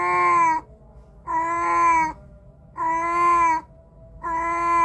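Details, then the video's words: Repeated meows from a cat, recorded by Samsung A53 phone microphone: three long, level, harmonic calls roughly 1.5 seconds apart, plus a partial meow at each edge, over soft background hum. "Cat sound effect"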